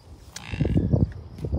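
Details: Brief low, moaning grunts pulsing several times from an American bison herd of cows, bulls and calves, called red dogs, at Rocky Mountain Arsenal Wildlife Refuge, Colorado, on June 2, 2022, over steady wind.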